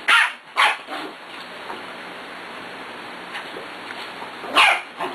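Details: Six-week-old puppies playing, with three short, sharp yipping barks: two close together at the start, then one more after a quiet stretch of about four seconds. Low room hum runs underneath.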